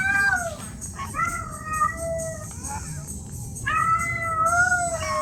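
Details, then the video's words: Domestic cat in heat, a female asking to mate, gives long, drawn-out yowling meows that slide downward and hold steady, two extended calls separated by a short pause over a steady hiss. "Efek suara kucing kucing Birahi"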